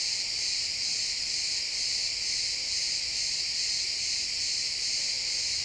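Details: Crickets chirping in a pine forest at sunset, recorded in XY stereo: a dense, steady, high shrill trill with overlapping pulses that never pauses, and no other clear sounds.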